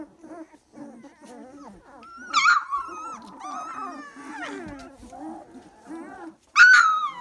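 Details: Three-week-old Dalmatian puppies: soft repeated low whimpers build into long quavering whines, then two piercing squeals burst out, the last one loudest.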